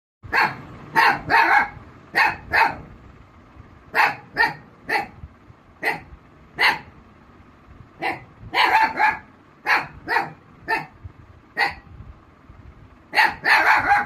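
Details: Rossy, a female Black Mouth Cur, barks in reply to someone imitating a puppy's sound. About twenty sharp, loud barks come in quick bursts, several doubled or tripled, with short quiet gaps between them.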